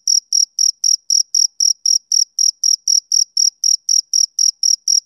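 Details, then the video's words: Shrill chirps of a male cricket on a summer evening, roughly nineteen brief high pulses in quick, even succession, nothing else audible. "Cricket Chirping"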